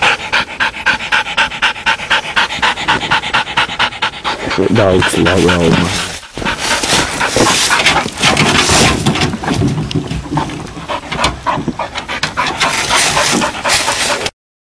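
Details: Female Bluetick Coonhound out coon hunting, panting hard in rapid, fairly steady breaths about four per second, broken midway by a short wavering tonal sound, then dense rustling and scuffling noise.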